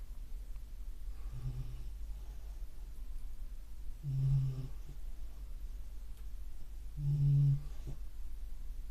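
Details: A beagle asleep indoors gives three low, rumbling snores, one about every three seconds, the later ones louder and fuller.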